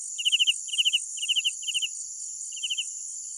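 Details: Cricket at night sounding four-pulse chirps in a quick series that fades, then one softer chirp after a gap, over a persistent high insect hum.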